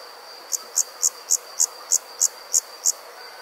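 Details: Summer night insects in the country give a run of nine high, sharp chirps about three per second, each pulse bright and clipped, over a faint steady high-pitched hum and soft background hiss.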